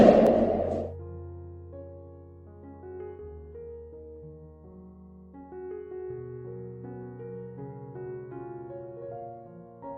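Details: Piano or keyboard music plays gently with no animal sound heard.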